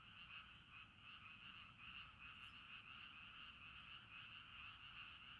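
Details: Frogs heard at night beside a river at a Sapporo campsite in Hokkaido, Japan, their overlapping rapid croaks forming a steady throbbing chorus with loose rhythmic pulses, a short rustle midway.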